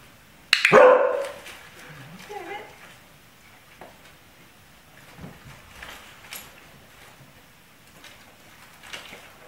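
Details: Pet dog barking at the door during a bark-training session: one loud, harsh bark opens, followed by softer scattered noises and faint movement in a quiet indoor room.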